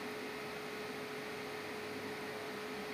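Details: A steady mechanical hum with one constant pitched tone and broadband whooshing noise runs throughout, like a microwave or fan, with no animal voice.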